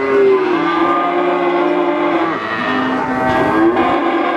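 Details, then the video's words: Calf of domestic cattle giving one continuous, loud moo that lasts throughout, holding a steady pitch with small dips and a brief swell and waver late in the call. "SUARA ANAK SAPI LUCU"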